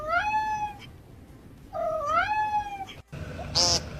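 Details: A cat meows twice, each a drawn-out call that bends upward then levels off, followed by a brief sharp noise; low background hum.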